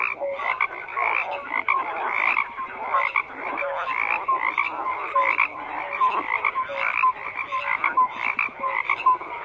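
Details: Frogs calling en masse, a constant layered croaking with rattling pulses and short bright tonal notes recurring every second or so.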